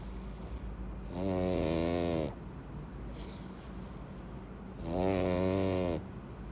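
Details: A pug named Louis, fast asleep and full after eating treats, snores noisily: two long, harsh, buzzy rasping snores, each lasting about a second, about four seconds apart, with steady background hum between.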